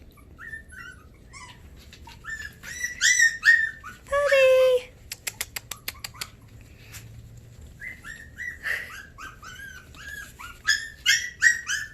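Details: Havanese puppies on 20 January 2020, starting to wind down: bursts of thin, squeaky whimpers and short yips in fast irregular runs, broken by a louder drawn-out wail, a string of sharp clicks and a quieter pause before the whining resumes.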